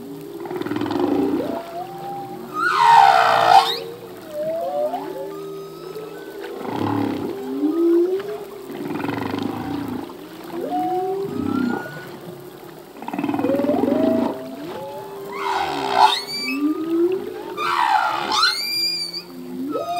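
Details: Male humpback whale singing at sea: a dense sequence of moans, upsweeping whoops and high squealing whistles recurring every two to three seconds, with tonal harmonics layered over a low rumbling backdrop of overlapping phrases.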